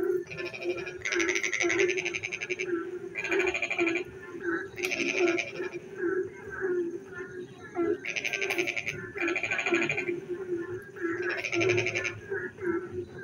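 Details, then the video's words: Rain at night with frogs calling in the dark; loud trains of fast rattling pulses come in short bouts, six clusters spread over the recording, above a constant low-pitched croaking chorus. "frog singing in the dark night when it rains"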